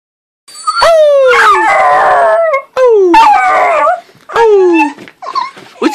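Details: A male puppy in a really happy mood howls in high, drawn-out notes that slide downward, repeated in several bursts, while wagging his tail.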